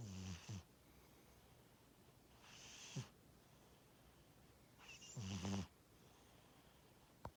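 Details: Sleeping pet cat snores in loud, raspy bursts, one about every two and a half seconds, each a grating inhalation with a deep rumble beneath airy hiss; a small click near the end.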